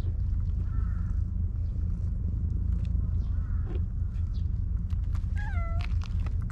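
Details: Maro, a stray cat in a park, meows sweetly while seeking affection as it is petted; a faint short meow early, then a quick run of higher rising-falling meows near the end over steady low outdoor rumble.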